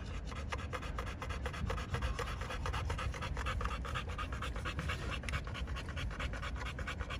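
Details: Pocket American Bully males at a kennel in Romania, rapid even panting repeated throughout, soft airy rasps over a low hum.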